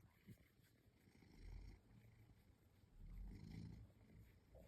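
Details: Pet house cat purring while being scratched, a nightly treat it loves; low rumbling swells around 1.5 and 3 to 4 seconds with quieter rustling between.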